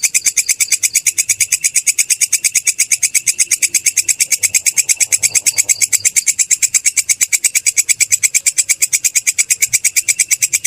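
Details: Belalang kecek, or kerik grasshopper, used as training material for cage songbirds: a long, unbroken run of crisp, metallic scratching pulses at a steady fast rate, loud and clean against near silence.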